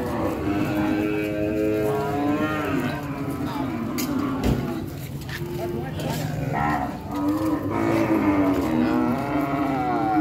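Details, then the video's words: Several cows lowing in overlapping, wavering moos across the whole stretch, with sharp knocks and a thump near the middle and a constant low rumble. "COW VIDEO , COW SOUNDS"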